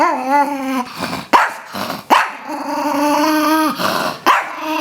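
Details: Chihuahua named Rosco, unhappy about being asked into the shower, lets out drawn-out whining growls that hold a steady pitch, broken by three sharp yelping barks; a woman's voice is faint in the background.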